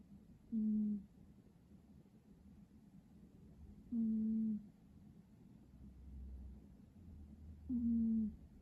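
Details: A dozing cat gives three clear whistled snores, evenly spaced roughly every three and a half seconds, each a low steady tone falling slightly at its end, with a gentle low rumble between breaths.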